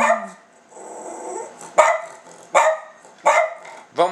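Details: Silky Terrier begging for food, with a brief human voice at the start, then four sharp, talk-like barks with bending pitch, about one every three-quarters of a second.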